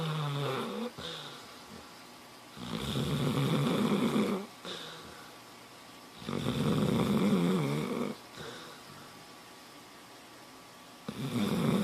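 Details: Dog snoring in a small room: rough, rumbling snorts rising and falling every three to four seconds, steady and unbroken, no other clear sounds.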